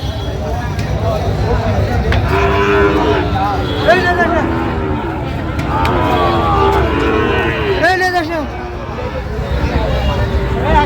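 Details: Sahiwal bull calves among a crowd of cattle at a Chattogram market on 31 October 2025 during bargaining. Overlapping moos swell and fade, a few sharper bleating calls cut through, and voices and vehicles rumble underneath.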